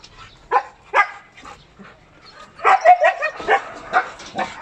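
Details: Corgis at a kennel giving sharp barks and yips, two single barks at first, then a dense overlapping burst of high yapping and barking from several dogs.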